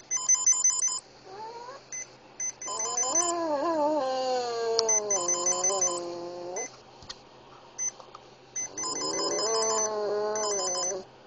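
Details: Oscar, a small epileptic Boston Terrier pet, howls along to a beeping Swatch watch: long wavering harmonic howls that rise and slide, in two main bouts, over steady repeated electronic beeps and music.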